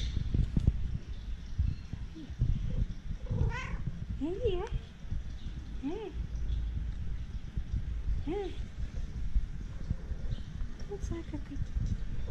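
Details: Domestic cat giving a string of short, arched meows spaced a second or two apart in the middle of the recording, with people talking and low rumbling noise throughout.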